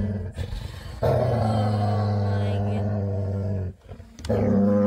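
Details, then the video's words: A female Labrador retriever gives a loud happy growl before bedtime: a deep, rumbling, harmonic growl held for about three seconds, a brief break, then a second sustained rumble beginning. "Cutest Dog With Loudest Happy Growl Before Bedtime | Adorable Labrador Daily Happy Growl"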